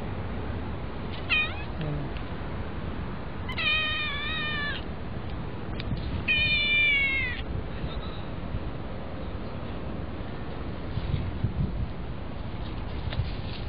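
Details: A vigorous one-eyed kitten meowing: a short meow near one second, then two longer, strongly harmonic wavering meows around four and seven seconds, over steady low background hum with faint clicks.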